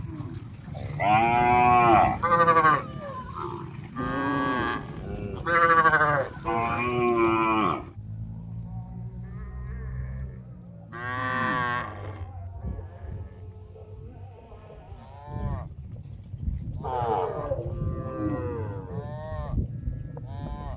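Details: Thousands of tame cows walking toward a green grass field to eat: several loud, drawn-out moos in quick succession, then scattered quieter lowing from other animals, with a low rumble mid-clip and a thin steady high whine near the end.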